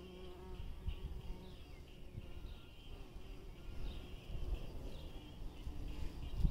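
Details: Bumblebee in spring, a soft steady low buzz with a humming tone, rising and fading gently as the bee moves, over quiet outdoor background noise with a faint high chirp now and then.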